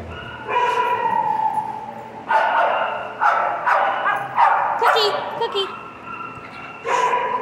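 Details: Domestic dog making long 'talking' vocalizations, a series of sustained moaning, whine-like tones in separate bursts with pauses between, some wavering and sliding in pitch, then a final held tone near the end.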